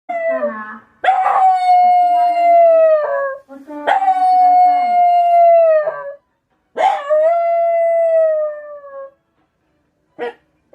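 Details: Black Shiba Inu, a young dog that has howled daily since about four months old, howling at a passing scrap-collection truck: three long, steady, slightly falling howls of about two seconds each, with short yelping onsets and clear harmonics.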